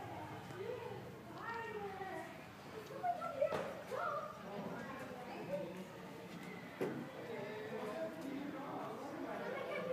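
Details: Meerkats wrestling with each other give a steady run of short squeaky chirps and peeps, some rising, some falling.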